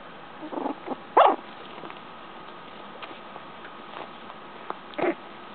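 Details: Papa dog Toru watching over his pups and "ru-ing" at them: short, soft vocal bursts near the start and a louder one around the middle, then another near the end, over a steady electrical hum.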